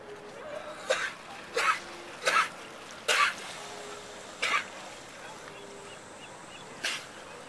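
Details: Sea lions at Monterey Bay near the Breakwater, recorded after a scuba dive: six short, hoarse barks spread over seven seconds, loud and irregularly spaced, against a steady hiss of surf and wind.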